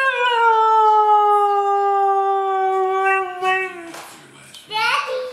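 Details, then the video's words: Siberian Husky howling on command indoors: a long, steady, slightly falling tonal howl lasting over three seconds, then short broken yelps, with a person's voice praising the dog close by. "Talking Husky Sings a Song!"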